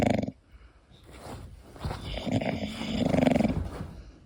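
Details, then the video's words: English Bulldog Koda sleeping, a short snort at the opening, then low uneven snuffling that swells into a grating, growl-like snore in the last second and a half. "My english Bulldog snoring"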